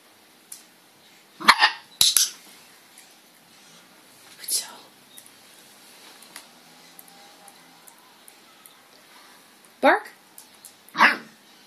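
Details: An 8-week-old female red merle Cardigan Welsh Corgi puppy, with her new owners for just one day, gives short, high yapping barks on the bark command between a person's spoken commands.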